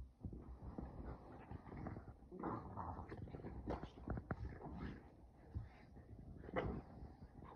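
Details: Two dogs play-wrestling in a cabin on vacation, Sully the Boston Terrier and Kumo the Keeshond, keep up a near-continuous tumble of low grumbling growls, snorts and scuffling, with a sharper yelp-like burst near the end.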